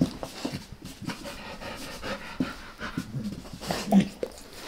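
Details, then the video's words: Max the dog licks his owner's face up close, producing soft wet smacking and breathy panting-like sounds in irregular bursts, quiet and intimate with no talking. "Max Licks | Face Part Deux | ASMR DOG LICKING"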